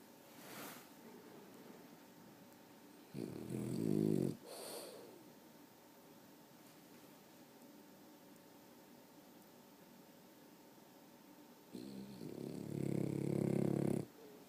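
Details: Sleeping dog snoring indoors: two long rattling snores about eight seconds apart, each a rough, fluttering inhale lasting one to two seconds, with a short sniff or snort and quiet breathing between.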